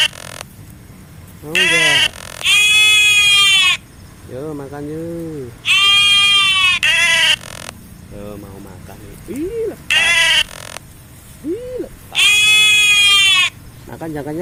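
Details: Goat being fed, bleating loudly in strained, quavering bursts roughly every four seconds, while a person talks in Indonesian in between.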